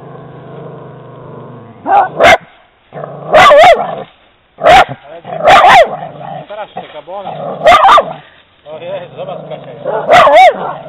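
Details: An Italian Greyhound gives sharp, high yapping barks in uneven bursts over steady background noise, reacting to seeing a horse on her walk.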